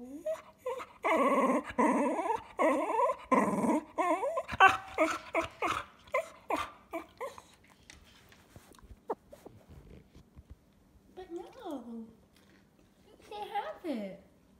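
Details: A 'talking' pet cocker spaniel refused a treat answers back with long, modulated whining yowls, dense and continuous for several seconds, then breaks into scuffling and panting before two sharp falling whines near the end.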